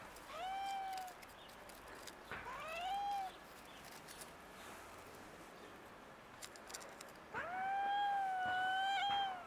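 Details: Street cats, a black cat wanting something from a white cat: three drawn-out, tonal meows, the first and last long and steady, the middle one shorter and rising, over faint outdoor background hiss and a distant voice.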